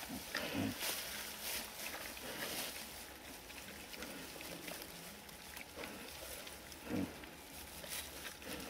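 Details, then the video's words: Wild boars at Erős-oldal give two clear deep grunts, one early and one near the end, with fainter low murmurs between, all under constant rustling and broadband outdoor noise. "Vaddisznók az Erős-oldalban"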